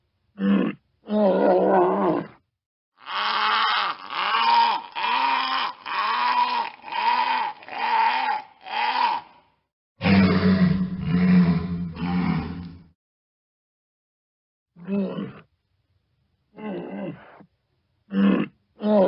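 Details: Walrus vocalizing in bursts: short grunts, then a long series of rhythmic harmonic bellows, a rough rumbling roar around the middle, and scattered brief grunts with pauses toward the end.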